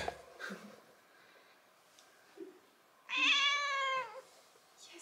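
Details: Six-month-old calico kitten indoors in central Germany, answering a woman in a back-and-forth conversation: after quiet moments and soft German speech, one clear, drawn-out, slightly falling meow lasting about a second.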